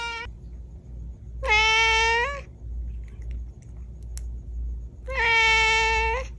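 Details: Kittens meowing indoors: two clear, high, tonal meows about a second long, each slightly rising then falling, with a brief clipped meow at the start, over a steady low hum.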